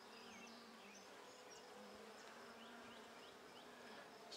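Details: Open handmade hive of Buckfast honey bees during a brood check, 23 May 2009, bees calm and unagitated; a continuous even buzz with scattered short bird chirps in the background.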